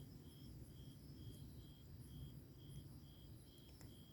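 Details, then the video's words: Grass insects on a summer night beside a wood campfire: a high, thin chirp pulsing steadily about twice a second over a loud, low crackling fire rumble, with fainter higher insect trills above. "풀벌레 소리"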